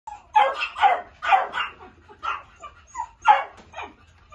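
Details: Toy poodle yapping: about eight sharp, high-pitched barks in quick, uneven succession, some paired closely together, over a faint low hum.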